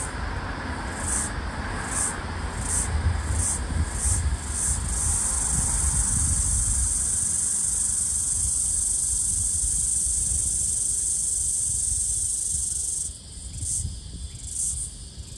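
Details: A floury baker cicada (Aleeta curvicosta) in eastern Australia, on 11 February 2023, flies and calls with a high, hissing buzz. Rapid separate pulses merge into a long unbroken drone, then pulsing returns over low wind or handling rumble.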